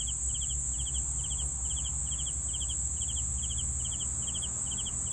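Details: Evenly spaced cricket chirps, short pulsed trills coming about twice a second, set against a bright continuous insect drone and a soft low hum.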